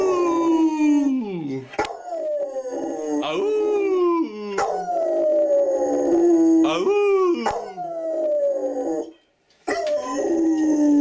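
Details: A Rottweiler being taught to howl gives long, wavering tones that slide downward, repeated with short breaks.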